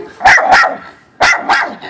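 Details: Domestic dogs next door bark from their front yard toward dogs in the backyard; sharp, bright barks in two quick pairs, the second pair coming after a short silence.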